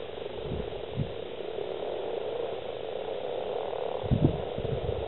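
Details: Male common frogs calling at a crowded breeding site in East Kilbride, Scotland, late February 2012, over 70 frogs; a constant low purring croak chorus with a few louder knocks and splashes near the end.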